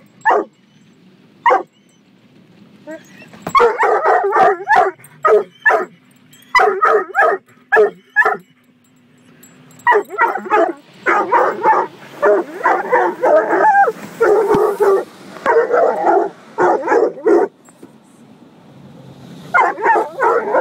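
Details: Protective coonhound mix Gunner barks almost nonstop at a car wash, rapid repeated barks and bays roughly three per second, with hissing spray and mechanical rumble beneath.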